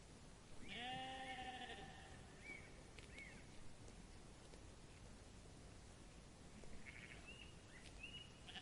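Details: In a grassy meadow where sheep are feeding, one sheep lets out a single trembling bleat lasting about a second. Scattered small bird calls come afterwards against a rumbling, breezy background.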